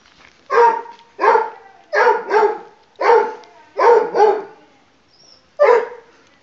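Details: Pug puppy playing hide and seek, giving seven short, sharp, mid-pitched barks over about six seconds, some in quick doubled pairs, with quiet pauses between and no other clear sounds.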